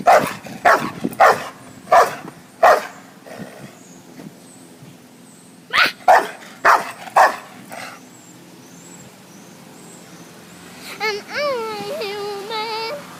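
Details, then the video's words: Pet dog barking in uneven runs of sharp barks, pausing, barking again, then ending with a few whining, wavering higher-pitched cries. "Lemmy barking"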